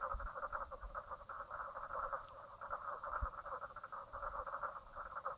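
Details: At Brown Lake on Stradbroke Island, Queensland, Australia, at 10:55 am on 4 March 2017, a dense chorus of frogs keeps up a continuous, rapid, pulsing croak.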